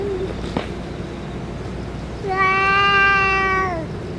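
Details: After food and medicine, the stray boss cat gives one long level meow lasting about a second and a half, preceded by a brief click and quiet hum.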